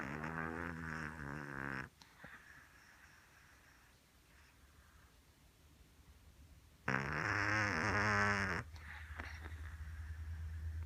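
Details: A cat snoring: two long, buzzing, nasal breaths, each nearly two seconds, separated by several seconds of quiet with faint soft breathing.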